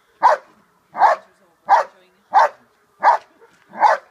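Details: Schutzhund dog Che holding and barking in protection training, six forceful, evenly spaced barks delivered roughly one every 0.7 seconds with nothing else audible.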